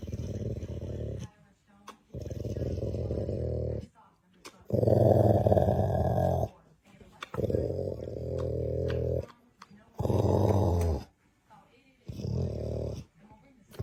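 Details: Sleeping dog snoring loudly indoors: deep, rasping, buzzy breaths in long bursts of one to two seconds, each followed by a short quiet gap, repeating steadily about every two and a half seconds.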